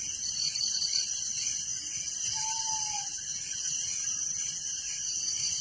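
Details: Night chorus of crickets in a village: continuous, even, high buzzing trill, with one brief clear whistled note sliding slightly downward midway.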